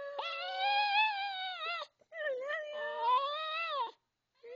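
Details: Sparky, a Maltese dog, sings "I love you": two long, wavering, tonal howls of almost two seconds each, sliding gently up and down in pitch with rich overtones, separated by a short pause, with a brief third note starting at the end.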